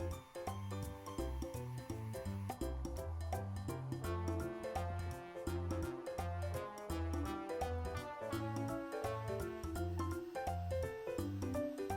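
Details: Rhythmic background music with a steady bass pulse and bright repeated notes fills the recording, without any animal sound.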